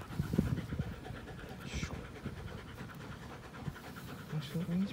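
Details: Playful panting from an American Pit Bull Terrier and a Belgian Malinois cross, April 21, 2019. Soft, fast, steady breaths come over a low rumbling background, with brief faint vocal sounds near the end.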